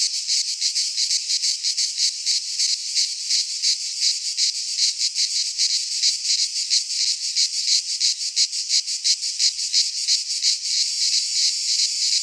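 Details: Cicada chorus from a Greek pine forest in midsummer: loud shrill buzzing beating in regular rapid pulses near three per second, smoothing into a steadier hiss toward the end.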